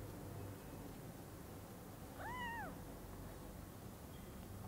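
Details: Newborn kittens at Lucky Paws, eyes newly opened, seeing their mother cat for the first time: a single arched, wavering meow that rises then falls, over a steady low background hum.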